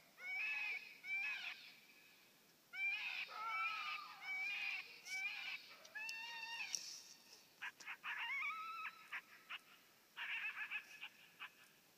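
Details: A coyote responds to a FoxPro electronic caller by howling and barking. Quavering howl phrases come first, then break into quicker choppy yips and barks, followed by a few final drawn-out wails against a quiet backdrop.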